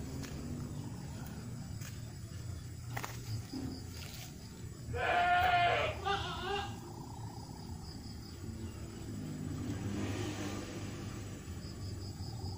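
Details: Kitten playing outdoors in a garden, giving one short, bright, nasal meow midway, with a quieter cry soon after, over steady background hiss and murmur.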